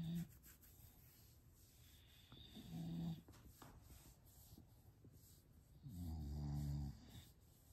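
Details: English bulldog making low, rumbling snorts in three bursts, the last one longest and loudest, with soft background hiss.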